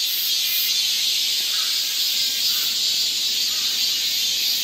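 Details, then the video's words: A massed summer chorus of cicadas in the forest of Galsan Park, Yangcheon-gu, Seoul, steady and piercing, a bright buzzing band that holds without pause, faint brief lower chirps slipping through. "여름 자연의 소리. 매미울음소리."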